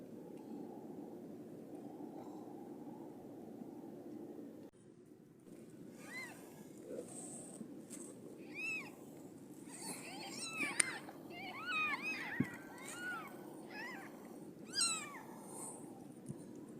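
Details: Siamese cat giving birth to five kittens; after a quiet hum, a run of repeated high, arched mews and meows crowding together in the second half, with occasional clicks and rustles.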